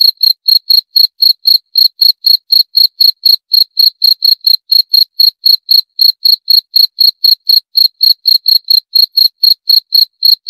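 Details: Cricket chirping in a steady, unbroken series of short, high, bright pulses, about four per second, with nothing else audible behind them.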